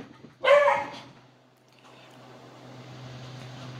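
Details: Beagle playing with a blue toy indoors, one short harmonic bark or yip near the start, then quiet room hum with a steady low tone.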